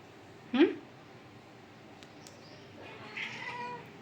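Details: Domestic cat indoors giving a drawn-out harmonic meow late on, after a brief sharp rising squeak near the start, with quiet room background between calls.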